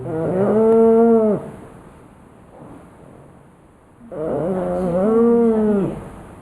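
A sleeping pug snores loudly in two long, droning, nasal breaths about four seconds apart.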